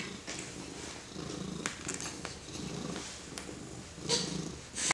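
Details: A purring house cat being petted by a four-month-old baby, its throaty rumble pulsing in breaths, with a few sharp handling clicks and a brief louder rustle near the end.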